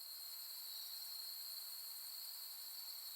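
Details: Autumn insects on a late-August night at Soni Highland, Nara, Japan, among pampas grass under the Milky Way: a dense, continuous high shrill trill holding steady throughout, with several layered bands and no other sounds.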